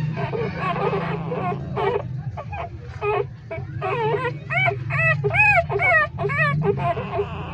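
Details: Three-day-old hungry street puppies nursing in a pipe cry out in rising-and-falling whines, arched squeals coming rapidly, louder and clearer toward the end, above a constant deep background drone.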